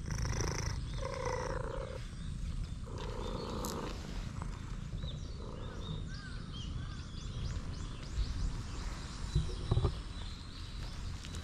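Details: Stray cat in a park with loud purring, filmed on a GoPro while leading the way to playground equipment; steady low rumbling purr throughout, with faint chirping birds and brief clunks in the background.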